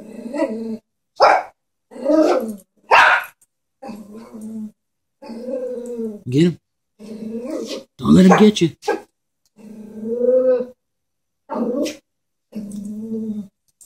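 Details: A Chihuahua scared of a stuffed animal horse alternates low, wavering growls with sudden sharp barks and yaps in a busy, irregular sequence lasting nearly fourteen seconds.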